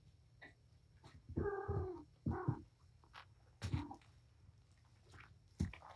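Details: Wound-up mother cat Patience at playtime with her kittens in a room; two drawn-out, strongly harmonic meows in quick succession, then a shorter cry, among clatter and thumps over a constant low hum.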